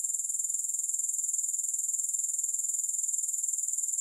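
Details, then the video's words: Unbroken high-pitched grasshopper trill with no music, a dense hiss-like buzz throbbing evenly about four times each second throughout. "Grass Hopper Sounds"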